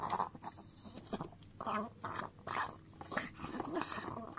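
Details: Chihuahua named Dio licking a frying pan indoors: bursts of wet lapping and scraping clicks at an uneven pace, several loud strokes spaced about half a second apart, with a quiet room behind.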